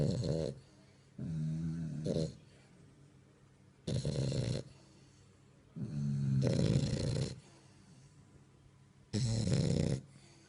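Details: French bulldog puppy asleep, filmed in the dark: loud, rasping snores in bursts of about half a second to a second, each followed by quiet pauses, repeating roughly every two seconds.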